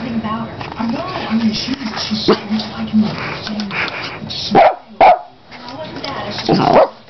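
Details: A female house dog barks while playing with a carpet cleaning device. Two sharp barks come close together, then a longer, strained bark follows. A person talks throughout over a low humming drone.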